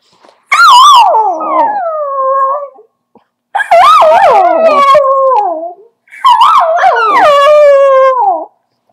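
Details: A ten-month-old dachshund howls in three long, wavering bouts that slide downward in pitch.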